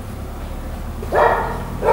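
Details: Giant Schnauzer, a pet dog, giving a loud tonal bark with strong harmonics near the end, followed by the start of a second bark; steady low background hum throughout.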